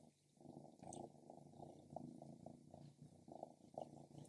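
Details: Stripes, a female pet cat, purrs while eating grilled lamb: a steady low rumbling purr with evenly pulsed beats that swell and fade, plus a few faint soft clicks from chewing.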